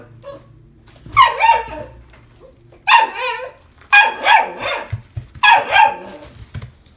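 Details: ['Female blue-and-white Italian Greyhound, born 21 July 2019, kept in a pet shop, yapping four times with high, strained barks, each breaking into a short double yelp.']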